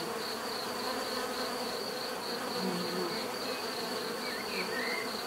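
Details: Dense bee buzzing, a continuous hum with shifting low drones and a high steady whine, a few faint brief chirps near the end.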